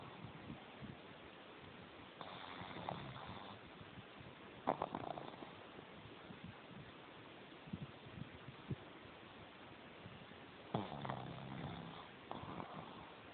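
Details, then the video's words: A sleeping female pug named Jemma, tongue out and eyes open, gives a few raspy, drawn-out snores, one long burst early and another near the end, with a quiet low hum between. "Jemma the Pug Snoring with her tongue Out"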